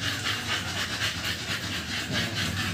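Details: Panting from two-month-old American Bully puppies that have had their second 5-in-1 vaccine, a fast run of airy, even breaths with a soft hiss underneath.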